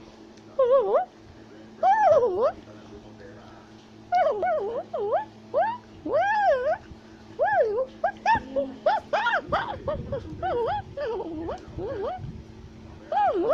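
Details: A tufted capuchin climbing a tree gives bursts of wavering, whiny shouting and chattering calls that rise and fall in quick succession.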